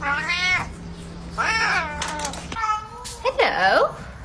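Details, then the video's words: Domestic cat meowing four times in a small room, each meow a short arched wail with rich overtones, spaced about a second apart, with a person's voice and handling noise in the background. "Funny cat sound"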